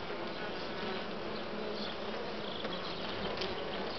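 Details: Western honey bees on comb with uncapped brood (larvae of various sizes in open cells) give a steady, dense hum of many buzzing wings.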